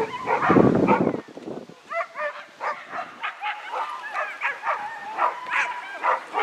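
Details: Whippet mix during racing warm-ups at the Grand Prix Polski, Bytom Szombierki, 16 May 2015: a loud noisy burst opens, then rapid high-pitched yips and whines pulse steadily, about four per second.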